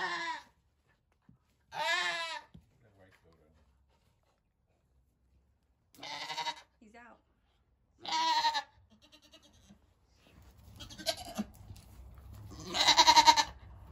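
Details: Goat during a birth on a homestead: wavering, quavering bleats at roughly 0, 2, 6, 8 and 13 seconds, separated by quiet pauses, with rustling and handling noise in the last few seconds.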